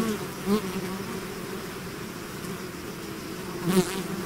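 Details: A bee swarm out of its hive gives an unbroken low buzz, two individual bees swooping close at the start and end with rising, wavering whines.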